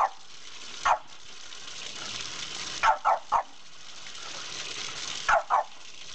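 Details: Playful barking from Margo, a female French Bulldog in foster care, as she takes on a gushing water spout: a single bark, then a run of three and a closing pair, against steady splashing, hissing water.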